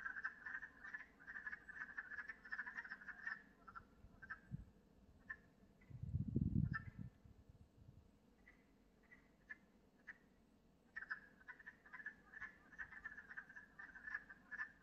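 A chorus of wood frogs gives rapid, duck-like clucking croaks that overlap in a steady stream.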